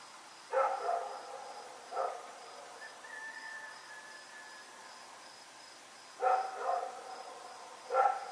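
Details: Rex the dog barking during a night run, October 7, 2018: four separate barks, a double one near the start, one two seconds later, then a pair near the end, with a thin whistled tone midway and a faint pulsing hum throughout.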